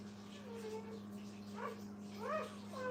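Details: Brittany puppies with their mother at a kennel, giving thin, high whimpers that rise and fall in short bends, sparse early and busier near the end, over a steady low electrical hum.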